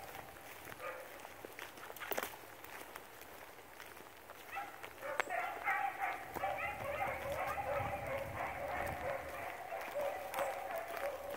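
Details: Line-control-bred beagles, rabbit dogs tracking cottontail, bluetail and swamp rabbits: after a few seconds of rustling outdoor noise, a distant pack breaks into overlapping ringing bays and yelps that continue steadily, over constant background hiss.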